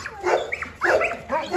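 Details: Dobermanns at a large kennel give bursts of yelping, bending whines in three short clusters, with a steady hiss and faint voices underneath.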